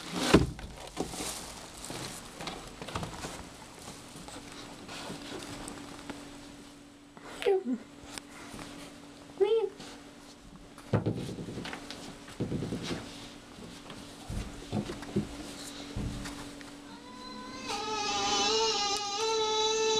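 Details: Tom, a furry pet cat indoors, gives two short rising-falling meows mid-recording and then a long, wavering, harmonic meow at the end, with footsteps, patter and occasional voices around it.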